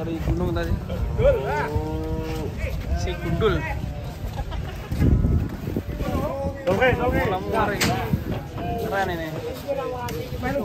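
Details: Cattle being loaded onto a truck bound for Semarang, a load during which the truck tipped over; long, harmonic moos with bending pitch, several overlapping calls, alongside men talking and some background music.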